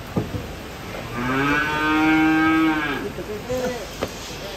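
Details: A single long, steady moo from cattle being unloaded off a truck, rich in stacked harmonics and lasting about two seconds, with a few clicks and knocks around it.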